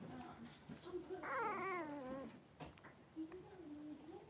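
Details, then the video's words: Indoor puppy pen with a litter of five blenheim Cavalier King Charles Spaniel puppies, three weeks old, at play; a loud, wavering, falling whine lasts about a second, followed by quieter squeaky whimpers. "3-Week-Old Cavalier Puppies Wrestle and Play Live"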